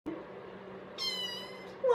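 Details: Domestic cat meowing indoors: a single harmonic-rich meow rises then falls around one second in, with a second call starting at the end; a person's low voice talks softly throughout.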